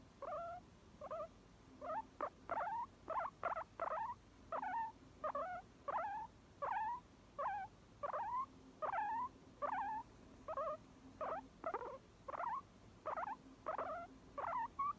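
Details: Guinea pig calling steadily: a rapid run of short, squeaky, sharply bending notes, roughly one every half second or so for fifteen seconds, each one bright and slightly wavering. Background otherwise quiet.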